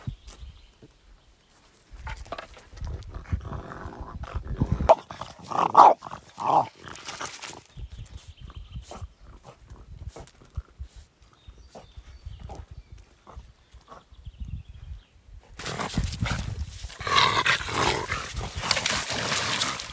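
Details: French bulldog attacking logs on a riverbank; short snorting growls and grunts come in irregular bursts with scuffling and knocking, ending in a loud rushing, splashing noise over the last seconds.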